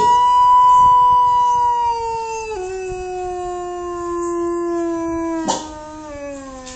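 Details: Achilles the wolf, reacting to other howling wolves, gives one long, steady, pure-toned howl. It drops in pitch at about two and a half seconds, holds there, then slides lower toward the end. A short click is heard near the finish.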